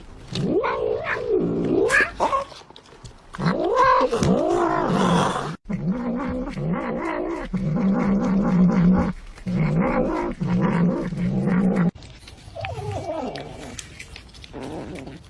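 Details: Domestic cat caterwauling: wavering, arching meow-like wails, then long sustained moaning yowls with brief breaks, ending in softer rising and falling cries.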